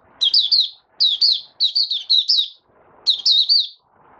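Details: Caged white-eye's opening song dated 8 January 2022: nearly continuous, high, sweet slurred notes in quick bursts, each note bending down and up, over a quiet background.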